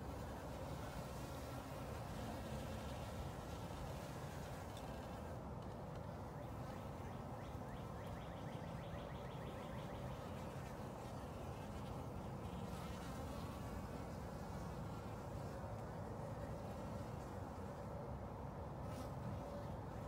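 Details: Honey bees drinking water in spring, gathering their fill to carry back to the colony; a steady low droning hum of many wings runs throughout, with faint spring birdsong chirping in the background.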